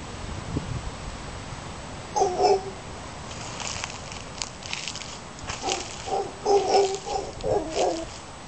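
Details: Howler monkeys near Casas Pelicano, Playa Junquillal, Costa Rica, give deep, guttural calls in brief bursts, a single one early and a rougher run of grunting roars near the end, over a constant hiss of wind or surf.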